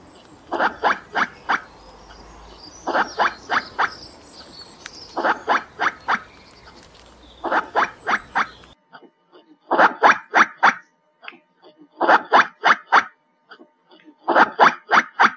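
A squirrel gives sharp, clipped calls in quick bursts of four or five, repeated every couple of seconds.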